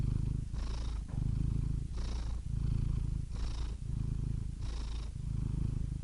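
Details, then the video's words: Cat purring in slow, regular cycles: rumbling low vibration alternating with soft hissing inhalations about every one and a half seconds, four breaths heard, nothing else in the background. "Soothing Cat Purr Sound Effect"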